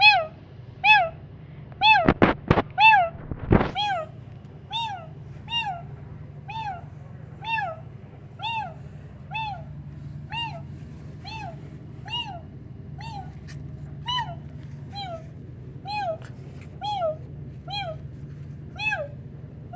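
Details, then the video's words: Kittens reacting to a sound like their own meow: a long run of evenly spaced, high, arching meows, about one per second, with several loud thumps near the start over a low background hum. "when this kittens heard the sound like them ~meow~"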